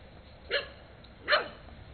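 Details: Indoor barking from Rusty, a skinny brown mutt, together with Peekero, a red Husky, in late 2006: two short, sharp, harsh barks about three quarters of a second apart in a quiet room.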